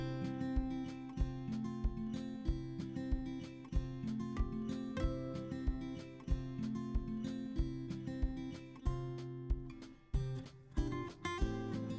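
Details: Strummed acoustic guitar music plays in a country style, with no animal voices present.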